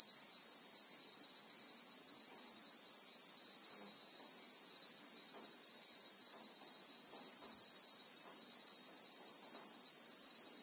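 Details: Christmas beetles (Anoplognathus) calling in South African bushveld with acacias: an even, shrill two-toned insect whine sustained from start to finish, faint muffled ticks scattered below.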